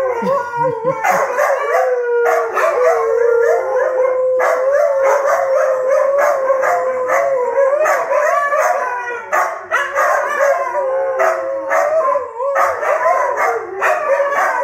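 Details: Pet Siberian huskies howling together as a family 'choir', several voices overlapping in long sustained, wavering howls that hold a steady pitch and rise slightly near the end, with short breaks between phrases.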